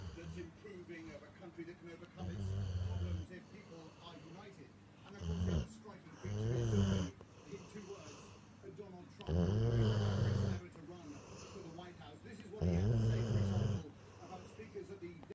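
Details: A sleeping female Rottweiler, content with her toy against her nose while being cuddled, snores in deep, rumbling bursts, each breath rattling low and heavy every few seconds.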